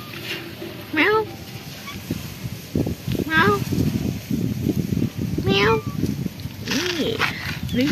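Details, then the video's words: Shy black pagoda cat, previously afraid, meowing back to a person: four soft, wavering meows about two seconds apart, with rustling and handling noises throughout. "Meet black cat gain who live in pagoda but he still afraid me and speak softly with me"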